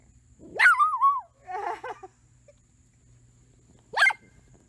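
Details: Dachshund sound: a loud yelp that rises and then wavers downward into a howl, followed by a low grumbling whine, a pause, and one sharp bark.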